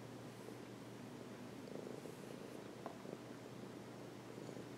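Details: Housecat purring on its owner's lap, a close, quiet, throbbing rumble held steadily throughout with small soft clicks.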